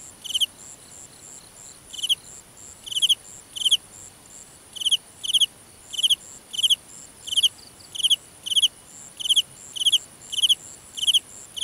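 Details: Field cricket singing after dark in grassland, Vietnam: crisp pulsed chirps repeated at uneven intervals, a pause near the start then a steady run of paired chirps, with a faint high background hum of other insects.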